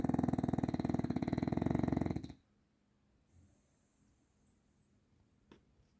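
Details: Bulldog named Grizzly giving one rough, fluttering snore lasting over two seconds, a rapid pulsing rattle heavy in low tones, then near silence with a faint click.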